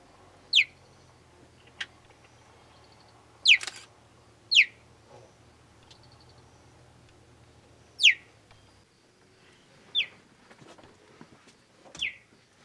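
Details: A young male cheetah in the Mara North Conservation Area, recently left by his mother, calls for her while hungry with sharp, high, bird-like chirrups that drop steeply in pitch, spaced irregularly. Cheetah (Acinonyx jubatus), chirp.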